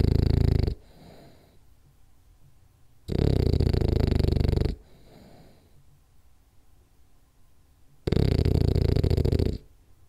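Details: Sleeping French Bulldog Rolly, who chases kitty cats in his dreams, gives deep rumbling snores of one to two seconds, spaced several seconds apart, with a softer wheezing exhale after each.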